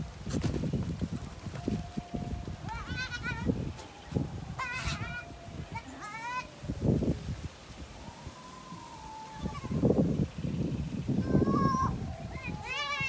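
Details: Goats mating: repeated wavering, nasal bleats every second or two, some long and trembling, with a drawn-out steady tone midway, over heavy low rumbling background noise.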